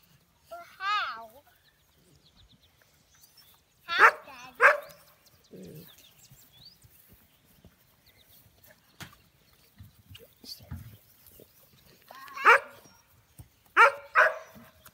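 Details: Young American Bully puppies, still unnamed, let out short, sharp yips and yelps in scattered bursts separated by long quiet gaps, with faint voices in the background.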